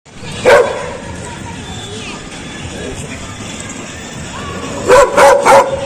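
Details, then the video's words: Dog barking very loud: one sharp, harsh bark early on, then a quick run of three loud barks near the end, over a steady low background hum. "Dog Barking | Dog Barking Sound"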